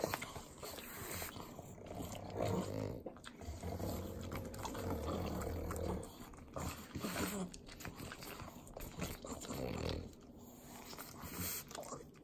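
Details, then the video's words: Three pugs lick butter, Southern California: bursts of rough, resonant snorts and grunts alternate with fast wet smacking and lapping, rising and falling in loudness. "Pugs Eating Butter - Calming Sounds of Sloppy Licking, Snorting"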